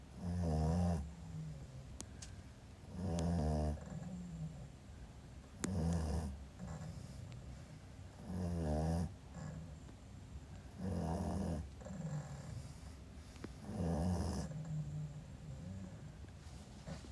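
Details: Pekingese puppy asleep indoors, snoring in a steady rhythm: low, rasping rumbles with a buzzy edge, about one every two to three seconds, with quiet breathing between them.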